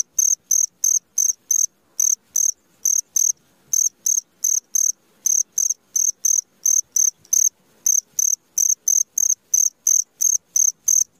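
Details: Cricket calling at midnight: bright, high chirps in short even bursts, about three each second, pausing briefly now and then, over a quiet, otherwise silent background.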